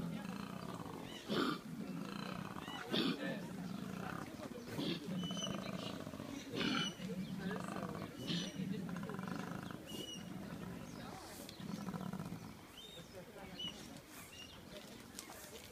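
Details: A koala in Victoria, Australia, gives deep, rasping, snore-like grunts that pulse in a rough, uneven rhythm.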